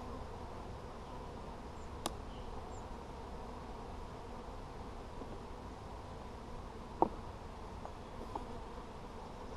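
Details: Hive of honey bees being checked on 17 July 2020, a low, even buzzing drone underneath, broken by a few sharp clicks and knocks of handling the frames.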